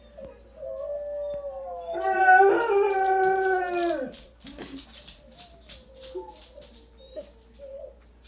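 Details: Blaze, a howling dog, gives a loud, rich, drawn-out howl that slides downward over about two seconds, followed by soft whimpering notes and quiet breathy sounds.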